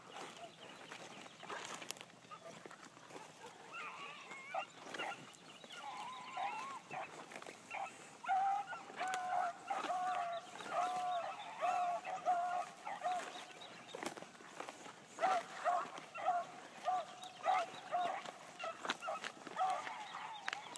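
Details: New Blackcreek gyp Bee trailing on her first morning run: distant barking that starts sparse, then builds into quick chopping bark runs, with faint outdoor noise throughout.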